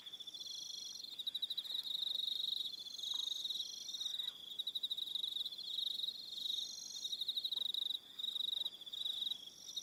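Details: Several crickets trill together in the evening on New Zealand's Aroha Island, a dense high-pitched pulsing buzz with short rhythmic chirp bursts layered above a steady ringing tone.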